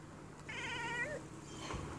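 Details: Siamese cat chattering at birds: one wavering, rapidly trembling voiced chatter lasting under a second, rich in stacked harmonics, then a brief dip in pitch, over a low steady hum and quiet room background.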